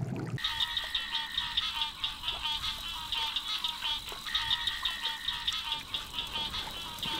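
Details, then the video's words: A dense frog chorus of high, shrill trills and chirps overlapping in a steady, pulsing wall of sound; such chirping frog calls are usually mating calls, frogs signalling "I'm here, and I'm interested." "IT'S THE SOUND OF AMPHIBIANS. WHEN YOU HEAR FROGS CHIRPING "RIBBIT," IT'S USUALLY A MATING CALL."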